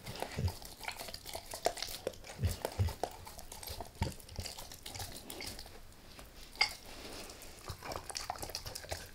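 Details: A dog named Max works on a beef rib in a small room: soft licking and gnawing, a few low thuds, scattered crisp crunch clicks, and one louder snap near the end, with no voices.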